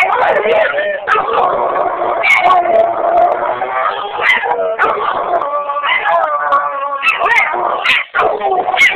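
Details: Two pet dogs, Roach and Rocco, howling at each other: overlapping, drawn-out wavering howls with rich harmonics, sliding up and down in pitch, the two voices crossing and trading almost without pause and breaking off only briefly.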